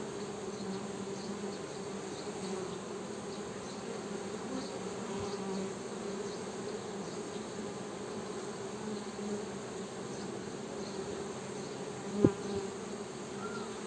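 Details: Honey bees buzzing in a steady, continuous drone with a low hum and a brighter overtone above it, swelling and fading slightly; a single sharp click or tap near the end.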